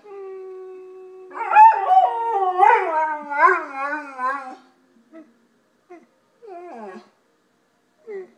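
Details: A pet golden retriever howling as if speaking like a human: long wavering tonal howls rising and falling in pitch for several seconds, followed by short whining yelps with gaps of silence.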